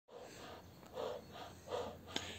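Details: Jack Russell Terrier panting, a soft breathy rhythm of about three puffs over two seconds, each a low hiss, with a brief click near the end.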